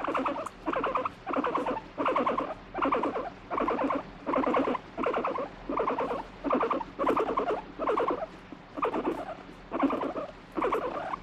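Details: Domestic guinea pig, annoyed at being stroked and touched, repeats a steady, throaty, vibrating rumble in evenly spaced bursts, roughly thirteen in eleven seconds, each under a second long, in a quiet room.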